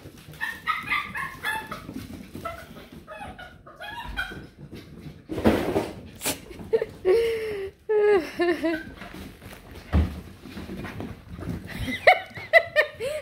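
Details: Two excited female Beagle puppies, just brought indoors, give a run of high whines, yips and short barks with rising and falling squeals, broken by loud clattering bumps, with faint human speech in the background.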